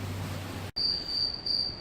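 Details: Crickets hidden in the ceiling of a cruise ship's promenade deck, arriving at Kotor on a Mediterranean trip, chirp with a steady, high, pure trill that holds one shrill pitch.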